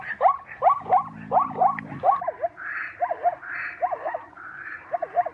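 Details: Zebra calling in a series of short, arched, yelping barks, each a quick rise and fall repeated roughly every half second, with a brief low buzzy rasp early on and softer higher hoots in the background.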